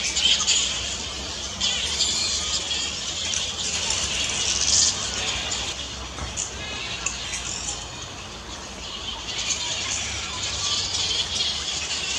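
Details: Australian native fruit bat behaving naturally at Camelia Gardens, Caringbah, Sutherland Shire; dense, shrill, overlapping squabbling chatter runs unbroken through the whole recording, harsh high-pitched calls layered with no clear pauses.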